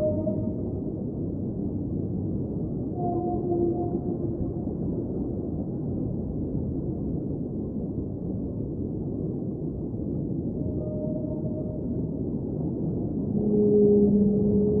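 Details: Underwater whale singing over a constant low oceanic rumble: sparse, mid-pitched sustained moans early on, a long quiet stretch of only rumble, then a louder pair of held tones near the close.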